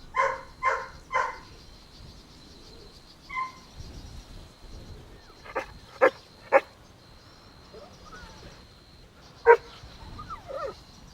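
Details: Golden Retriever puppies playing, running and exploring outdoors in a green meadow; three quick, high, harmonic yips in the first second and a half, then scattered sharp knocks and clicks, with a faint steady high tone running underneath.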